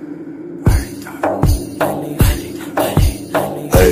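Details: Rhythmic music with heavy drum beats and percussion hits repeating roughly twice a second, with no animal voice heard.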